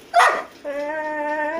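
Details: Golden Retriever dog lets out a quick harsh bark, then after a short pause a steady, even-pitched whining moan held for about a second, clean and clear with little background noise.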